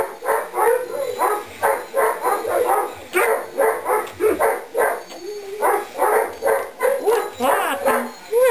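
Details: Baby Weimaraner and English Setter cross pups at two and a half weeks old, crawling about; rapid repeated squeaky whimpers and yelps in quick pulses, several overlapping, with a few drawn-out rising whines.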